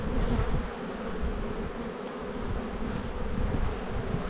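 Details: Honey bees humming steadily at a hive in an Australian bee yard during a spring buildup inspection, 7-9-22, with the colony full of brood; a dense, continuous low drone with no breaks.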